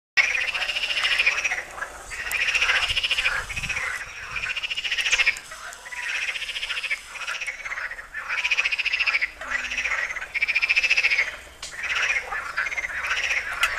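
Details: Chorus of frogs at the Tyre Necropolis in Lebanon, many voices overlapping in rapid pulsed croaking trills that swell and fade in bursts every second or two, with brief quieter gaps between waves.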